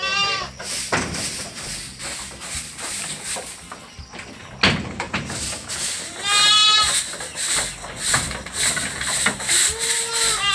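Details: Anglo-Nubian goats on a goat farm at milking time, several harmonic wavering bleats at intervals, one long quavering cry near the middle, over steady clatter and background noise.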